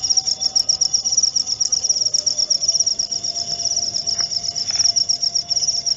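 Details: Thin, high cricket chirping in rapid, somewhat uneven pulses runs throughout against a noisier background with a few soft clicks and a faint low hum.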